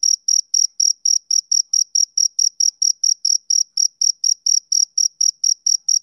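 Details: Male cricket chirping steadily: high, pure pulses repeated about four times per second for six seconds, each a short ringing tone with a faint upper overtone, no other sounds.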